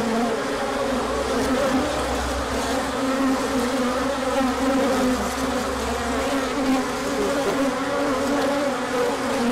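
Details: Large orientation flight of bees when the sun appeared after a cold stretch, March 2024. A thick, steady buzzing of many wings with drifting pitches, plus a faint low rumble through the first part.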